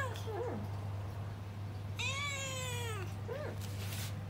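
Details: Rescued house cat giving a long meow indoors: one sustained, richly harmonic call lasting about a second that gently falls in pitch. Brief short mews come before and after it, over a steady low hum and a person talking nearby.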